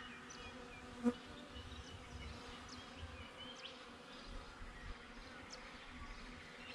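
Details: Honey bees buzzing outside a beehive, captured on a GoPro set beside the hive: a steady, low, droning hum with a dense continuous tone throughout, one brief louder click near the start, faint background ambience.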